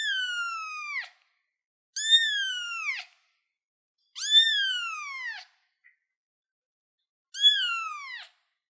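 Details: Baby cat on a chair calling in loud, piercing meows, four in a row, each about a second long, rising slightly then sliding down, separated by short silent gaps.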